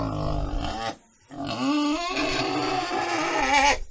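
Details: Pig squealing in sustained, strained, harsh calls with a quivering pitch, one short burst followed by a longer drawn-out cry after a brief pause.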